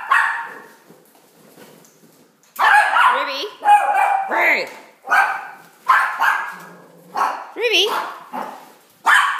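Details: Opie, a Shih Tzu adopted from Dog Rescue Newcastle in Australia, barks in a rapid series of sharp, yelping barks about once a second after a quiet opening, with some faint voices possibly mixed in.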